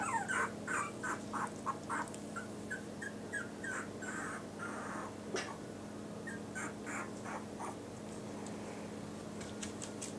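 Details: Yorkshire Terrier puppies wearing new numbered Velcro collars, a dark blue boy nicknamed trouble maker with Hope in light blue, give rapid high whimpering squeaks and yips, with a steady low hum underneath.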